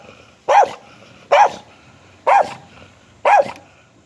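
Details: Four single, full-throated dog barks, spaced roughly a second apart, over a faint low background hum.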